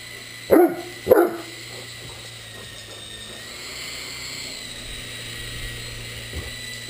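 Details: A quick pair of deep barks from a Great Dane playing with an RC helicopter, then quiet apart from the humming, whining helicopter motor.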